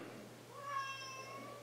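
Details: Pet cat meowing indoors while its owner talks to it: a single drawn-out, harmonic-rich meow lasting about a second, steady then slightly falling, with the owner's voice just before and after.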